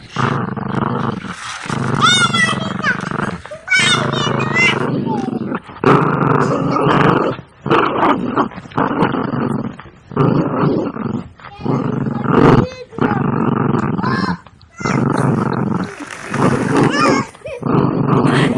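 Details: Dogs play-fighting and biting: continuous deep, roaring growls in bursts of one to two seconds, separated by short gaps, with a few higher yelps early on.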